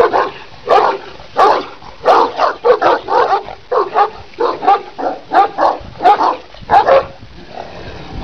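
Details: Kangal, the Turkish Shepherd Dog of Sivas, Türkiye, a large working dog of 90 cm and 90 kg: about thirteen deep, resonant barks in a steady run, roughly one every half second, with short pauses between them.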